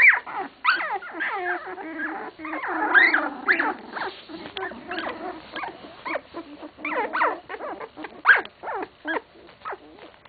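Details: 16-day-old English Cocker Spaniel puppies whimper and squeal in a busy, overlapping chorus of high cries.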